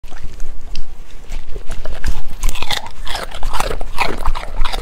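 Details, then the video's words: Golden retriever dog eating: sharp, crunchy bites and chewing in quick irregular bursts, heaviest in the second half, with deep thumps underneath. "asmr golden retriever dog eating"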